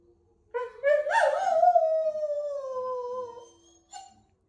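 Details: Female Noble Shepherd wolfdog, a hybrid of grey wolf and German Shepherd, giving a quirky howl indoors: a low start leaps into a loud wavering cry that slowly falls and fades, then one brief higher note.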